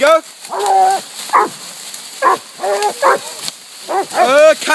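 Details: Coonhounds, two Walkers, a Bluetick and a Black and Tan, treeing a raccoon on a coon hunt at a new spot: several hounds give long harmonic bawling barks and short chops, overlapping in bursts with pauses.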